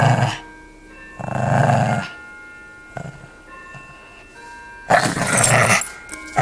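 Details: Pug puppy growling through a tug-of-war game over a toy. There are three loud, gritty growl bursts, at the start, in the middle and at the end, with quieter gaps between them and a steady, musical background tone throughout.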